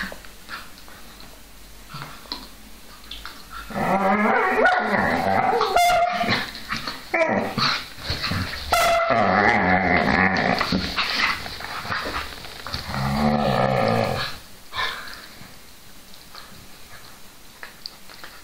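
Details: Two whippets, Milo and Gino, in a playful burst of growling and high yips lasting about ten seconds, quiet room noise before and after.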